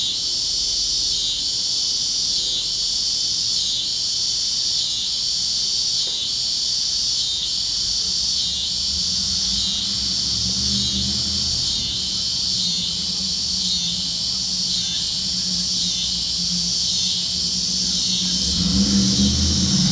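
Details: Cicadas chirping at sunset over Kansas fields on a warm plains evening: a dense high buzzing chorus swelling and fading about once a second, over a faint low steady hum from other critters.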